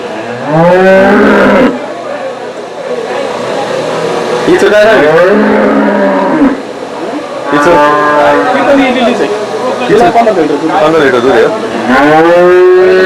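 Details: Several lowing moos from desi cows rise and fall across a busy Saturday cow market in Chakan on 3 January 2026. Each moo is a long, droning call, mixed with constant crowd voices and trading talk.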